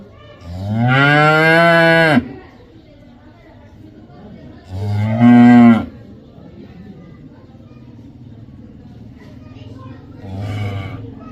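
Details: Cow moos: two strong, deep, drawn-out calls about four seconds apart, the second shorter, then a faint distant third moo near the end over a low rumbling background.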